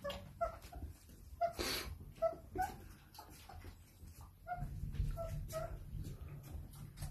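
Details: Irish Setter puppy at play time after dinner, giving short high whimpers and yips at irregular intervals, interleaved with rustling, thumps and scuffling of play in a small indoor room.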